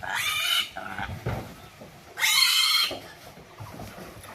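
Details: Pig on a pig-rearing farm, with a piglet being handled: two loud, harsh, high squeals, each about half a second long and about two seconds apart, with quiet rustling and faint voices between them.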